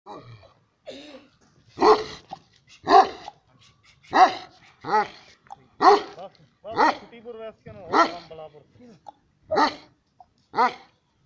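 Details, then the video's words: Afghan Kuchi dog, also called Sarabi dog, barking: about nine loud, deep, harmonic barks repeated roughly once a second, with short gaps between them. "Sarabi dog Afghan koochi kuchi dog"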